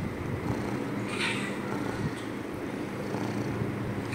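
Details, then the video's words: Domestic cat purring loudly; continuous low, rumbling drone with a fine rapid pulse, steady throughout, with faint background hiss. "Loud but cute purrs"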